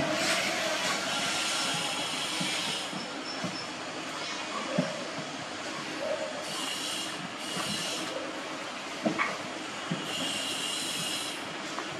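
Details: Steady broadband rumbling like a moving train, with scattered clicks, brief squeals and faint high whines, and no animal voice.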